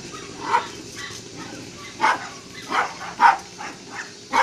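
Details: Frosty and Bailey, a rough-coated and a smooth-coated Jack Russell Terrier at play, bark about once every half second to second, with brief gaps in between.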